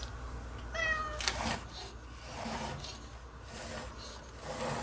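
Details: Cat restlessly hunting for an exit indoors after being bathed lets out one short meow early on, followed by rustling and shuffling movement sounds over a constant low hum.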